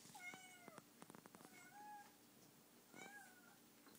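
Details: Donka, a pet cat fixated on a bug indoors, meows repeatedly, slightly falling, harmonic cries about a second apart, with soft tapping between them in a small room.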